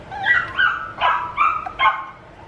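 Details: Young male puppy whining in a run of four or five drawn-out, wavering yelps that slide down in pitch, each about a third of a second long.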